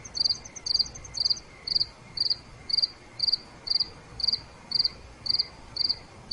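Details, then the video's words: Cricket at night giving regular pulsed chirps about twice per second, each chirp a quick burst of notes, with a second insect's fast ticking trill at the start. "5 Minutes Nighttime Cricket Sounds—Relaxation Sounds Nature Crickets Chirping Cricket Sounds Night"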